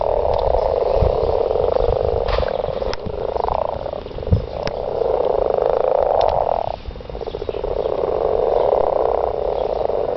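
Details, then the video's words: Chorus of garden frogs during mating, thick overlapping croaking interrupted by a few sharp knocks and clicks, then a short lull before the massed calling resumes. "garden frogs"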